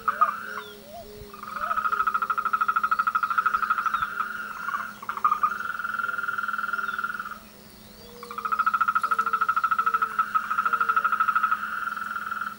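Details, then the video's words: Frogs calling together in the breeding and courtship season: three long, buzzy, pulsed trills are separated by brief pauses, with a scattering of short, lower-pitched croaks from other frogs between and under them. "El coral de las ranas"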